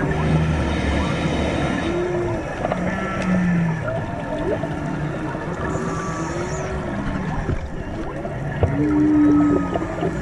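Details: Humpback whales serenading divers in Maui waters in March: a series of low moans, arching whoops and a drawn-out higher tone near the end, layered over boat rumble and sea hiss.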